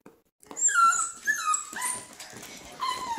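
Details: Eight-week-old tricolor male Beagle puppy whining indoors after discovering a dried liver treat: thin, high whines that slide downward in pitch, several in quick succession with brief breaks, and a short yip near the end.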